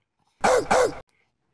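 A Boston Terrier gives two quick, gruff barks in close succession, each dropping slightly in pitch.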